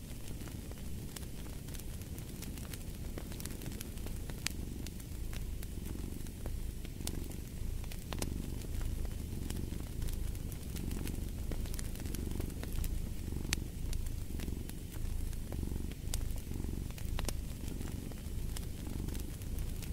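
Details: Cat purring quietly under a crackling fireplace, its soft low rumble swelling in roughly one-second breath cycles, partly blended with the hiss and frequent sharp pops of the fire.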